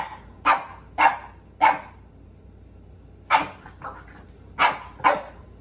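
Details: Sully the Boston Terrier wrestling on a rug with Kumo the Keeshond in play; short harsh vocal bursts, two or three in quick pairs, with pauses between groups, over a quiet indoor background.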